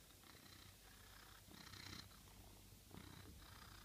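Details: Cat in a kitchen; soft, low rumbling purr running steadily throughout, with brief rustling bursts.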